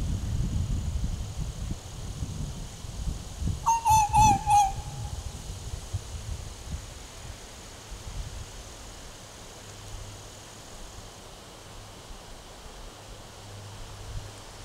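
A fox gives a brief burst of high, wavering, slightly falling yelps over low wind rumble.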